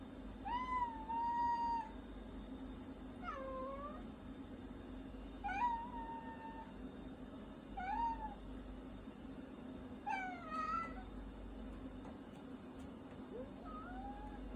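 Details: Gomachan, a pet cat, meows while its owner is eating: about seven clear, tonal meows, some drawn out and level, others short with a rising or falling bend, every one to two seconds over a steady low indoor hum.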